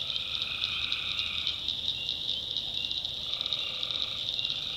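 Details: Nighttime chorus of tree frogs in North Carolina backwoods swamp, a continuous shrill pulsing buzz with rapid rhythmic beats and a softer sustained mid-pitched tone fading out, then returning near the end.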